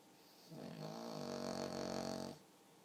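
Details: Pug asleep indoors, one long snore of nearly two seconds, a steady, buzzy rattle with a dense stack of tones, rising slightly at the start and fading out at the end, in a quiet room.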